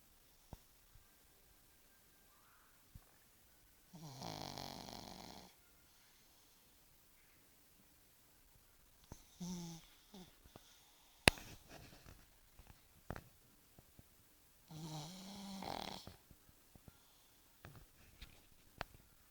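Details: Bosya, a pug, snores in a small room: two long, rasping, breathy snores about ten seconds apart, each about one and a half seconds, with scattered clicks and a rustling snuffle between them.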